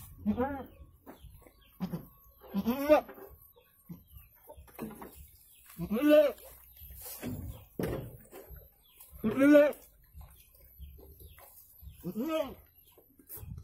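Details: Goat during the birth of two kids: wavering, high-pitched bleats with a rising-then-falling shape, each about half a second long, spaced several seconds apart, with quiet stretches and faint handling noises between them.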